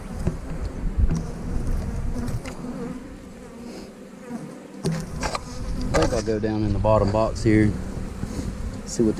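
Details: A dense, low buzzing of honey bees around an 8-frame colony fills the first half, rough and continuous. A man's voice then talks over the hum.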